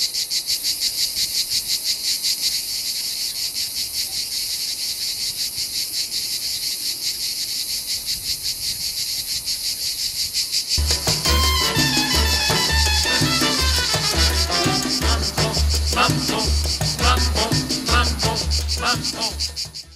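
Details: Provence cicadas in a dense summer chorus, a high pulsing buzz, joined halfway by loud rhythmic mambo-style music with deep bass beats while the insect drone carries on beneath.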